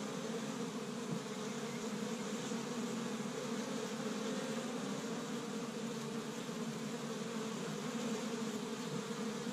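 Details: Honey bees of an established hive in Michigan, busy on the first warm day of spring while gathering pollen from tree buds; a steady, dense droning hum with a low fundamental and an overtone, unbroken throughout.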